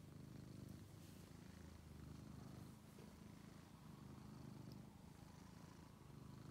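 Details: Purring of a male house cat once found starving in a basement, now a friendly pet: continuous low vibrating rumble rising and falling with each breath, roughly two-second swells, quiet indoor setting.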